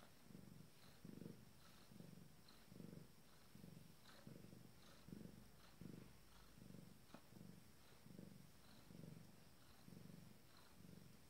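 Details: Female Abyssinian cat about to deliver her first kittens, purring in a low, regular rumble of some fourteen breath-paced pulses across eleven seconds, with a few faint sharp clicks near the middle.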